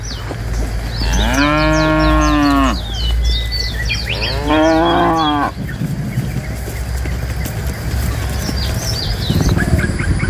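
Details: Tame cows herded out of a forest toward a pen: two long, loud, harmonic moos, each rising then falling and lasting over a second, with bright chirping birds throughout and a low rumble of background noise.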